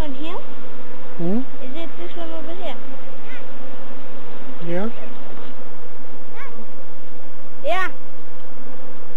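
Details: African honey bees, Apis mellifera scutellata, swarming in Kenya while being caught and brushed into a container. A dense, steady low drone runs throughout, with several short rising voiced exclamations from people breaking over it.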